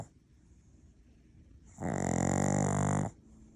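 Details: Sleeping Maltese-Shih Tzu cross dog giving one loud, drawn-out snore lasting over a second, a rough, droning rattle with a hissing edge, after a quiet lead-in.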